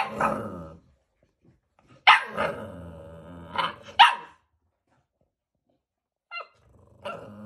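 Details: American Bully puppies, two months old, at a Romanian kennel, growling and yapping in short harmonic bursts: a rough growl, then paired sharp barks about two seconds apart, with a brief squeak near the end.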